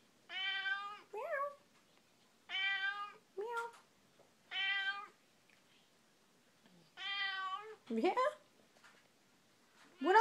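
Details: Figaro, a pet cat, trading meows with her owner in conversation: four clear bending meows about two seconds apart, each answered by a short human voice reply, in a quiet indoor room.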